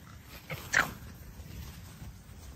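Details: Alice, a pet fox kept at home, gives one short, sharp yelp, preceded by a softer faint cry, against a low indoor background hum.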